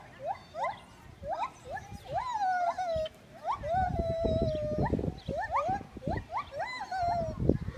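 A gibbon sings loud, rising whooping notes in quick succession, some stretched into long, wavering hoots.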